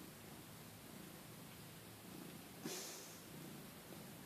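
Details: Lugosi the cat purring while trying to get his owner out of bed; a soft, steady low rumble over quiet noise, with a brief rustle or thump midway.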